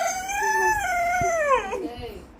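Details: A German Shepherd, frightened by firecracker and alarm sounds, gives a long, tuneful howl that wavers and slides downward before breaking off.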